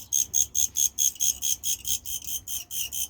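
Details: Crickets at a jewelry shop in Beijing on a Friday evening: loud, high, buzzy chirps pulse steadily about four times a second, each burst even and clipped, over a quiet low background.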